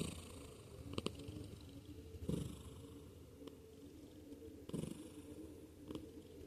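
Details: Domestic cat purring and snoring as it sleeps: a continuous deep rumbling purr with breathy surges about every one to two seconds and faint clicks over a quiet background.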